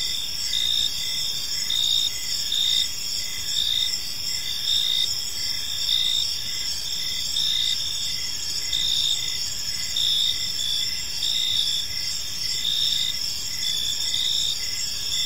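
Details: A gentle evening chorus of crickets in a park: sharp, high chirps repeating at an even pace, about once a second, over a sustained ringing insect hum.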